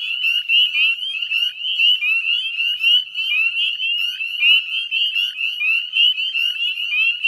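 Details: Spring chorus of northern spring peepers, recorded 18 May 2020 at dusk in the wetlands of West Chezzetcook, Nova Scotia; many frogs give sharp rising whistled peeps, layered so densely they form a steady, throbbing shrill drone.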